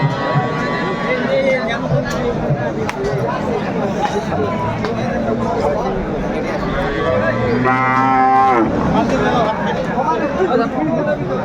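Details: Bulls for sale at a livestock market ahead of Qurbani, bought by a farmer from Munshiganj, Bangladesh; a long harmonic moo near eight seconds rises over steady crowd chatter and men's voices.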